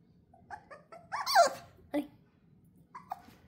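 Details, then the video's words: Corgi-Poodle mix puppy indoors giving short high whimpers and yelps, with one louder squeal near the middle and a brief whine near the end; a woman talks softly nearby. "Corgi and Poodle mix"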